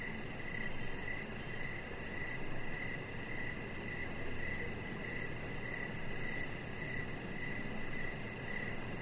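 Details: Crickets chirp steadily on an evening outside near a deck, quick pulses spaced evenly at around two per second above a persistent hissing background.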